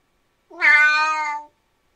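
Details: A single sustained meow from a Siamese cat, about one second long, rising at the onset and then holding steady, bright and harmonically rich.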